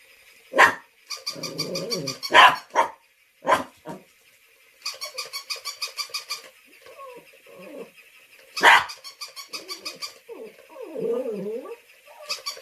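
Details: A pet dog reacts to a stuffed toy dog eating its apple. Loud, sharp single barks sound at irregular intervals, mixed with warbling whines and rapid pulsed, squeaky sound trains.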